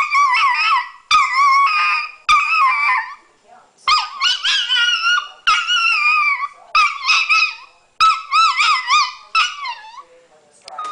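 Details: A female dog vocalises in a long series of wavering, yodelling howls and yelps, phrases broken by brief gaps, pitch sliding up and down, with a short quieter pause partway through.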